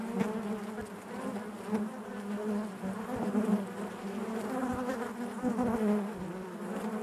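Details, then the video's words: Honey bees buzzing inside their hive: a dense, steady drone with a low hum and harmonics above, swelling gently and thickened by brief louder passes of individual bees. "bees therapy hive natural buzzing sound"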